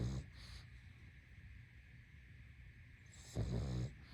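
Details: Sleeping pug: a brief snort at the start, then a long quiet pause before one rattling low snore near the end, over a faint steady hum.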